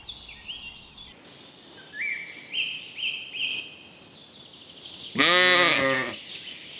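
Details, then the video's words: Sheep grazing on a spring meadow gives one loud, wavering bleat of about a second near the end, after a run of high, thin bird chirps and whistles from the surrounding countryside. "Sounds of sheep bleating"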